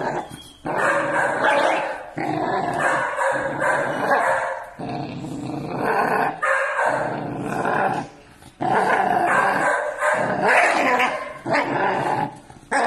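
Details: Six-month-old Pit Bull Terrier puppies, village dogs, angry and fighting: harsh, raspy growls and snarling barks in long dense bursts separated by brief pauses, heavy and continuous throughout.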